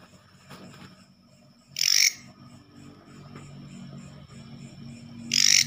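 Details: Katydid (leaf grasshopper) that entered a home at night, usually heard in the forest: two loud buzzy rasps roughly three and a half seconds apart, with soft background pulsing and low noise.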